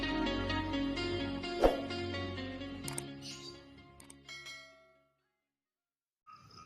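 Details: Musical chimes and tones fade into silence, followed by a brief faint tone, with no animal sound.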